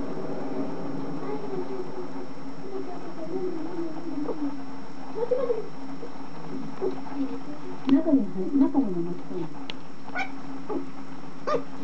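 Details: Puppy asleep and dreaming, making soft low whimpers and groaning moans, one drawn-out rise and fall midway, then a cluster of quick whimpers with faint clicks over a steady indoor hum.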